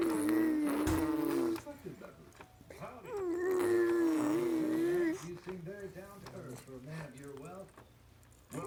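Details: On 5 February 2017, a male fox chewing on a rattle gives drawn-out, wavering whines, rising and dipping in pitch, between softer clicks and rustles.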